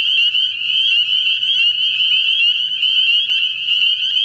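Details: Breeding American toads at a central Ohio vernal pool. A high, buzzy, sustained trill holds nearly steady in pitch for over four seconds, with faint overlapping trills and a brief click near the end.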